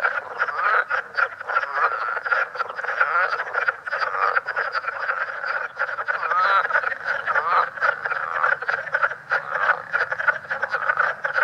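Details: Leopard frog at Great Swamp National Wildlife Refuge, a newly discovered population in New York and New Jersey with a distinct call; dense overlapping chorus of rapid croaking pulses and chuckles, continuous and loud throughout, several frogs calling at once.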